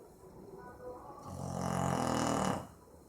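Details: Sleeping pet Boxer, Maizena, gives a single long, rough snore in the middle of the clip, swelling and then fading against a quiet room.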